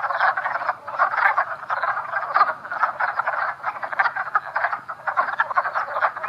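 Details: A dense breeding chorus of wood frogs (Rana sylvatica), with several males clasping one female in amplexus, in Montpelier, Vermont, on 19 April at about 3 pm. Their short, hoarse, duck-like clucking croaks overlap.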